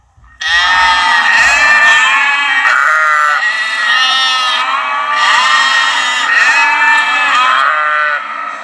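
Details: One long, continuous high lamb bleat with a strong tremolo and rich harmonics, starting abruptly and holding steady for about eight seconds.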